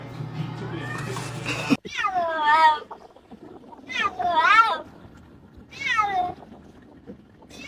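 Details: Domestic cat meowing while its owner talks to it and it nods, as in a conversation. Three drawn-out, wavering meows follow a short burst of music, with quiet human speech between them.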